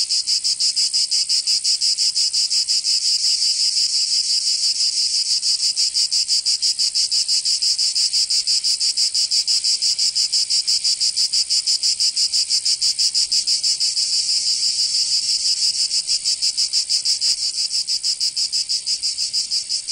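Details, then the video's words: Long stretch of summer cicada song from Provence, southern France, a relentless high-pitched rasping chorus pulsing about three times a second, even and unchanging, no other sounds present. "Canto Cigarra 🦗 [ Escuchar les cigarras en verano 10 H]"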